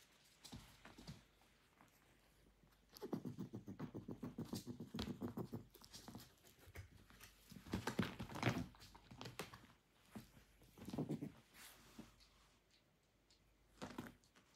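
A groundhog grumbles in low, rapid pulsing grunts, voicing its annoyance at a cat.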